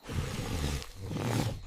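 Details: Koala bellow: a deep, rumbling, snore-like roar with pulsing low harmonics, sustained over nearly two seconds with a brief dip in the middle.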